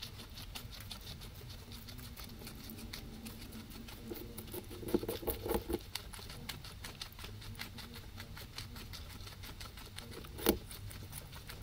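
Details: Two guinea pigs eating grass munch steadily, a dense patter of soft crunchy clicks from chewing.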